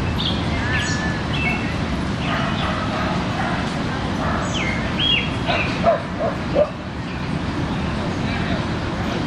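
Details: Dogs at play in a Brooklyn dog park while people stand around and talk; a few short, sharp barks stand out near the end above a steady wash of park noise, distant voices and chatter.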